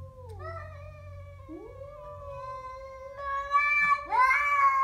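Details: A Siamese cat confronts a stray with a long, steady, moaning growl. Several rising wails overlap it, and the sound grows louder and rougher toward the end.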